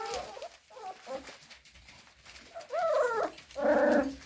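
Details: Cocker Spaniel; whining; asking to be let out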